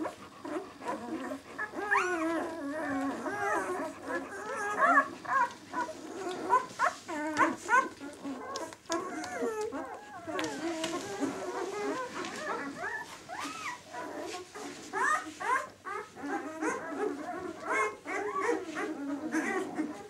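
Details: Six-day-old White German Shepherd puppies from the B litter "of White Night" make a dense chorus of overlapping, wavering squeaks and whines. Many rise and fall in pitch, with soft bumps and rustling beneath.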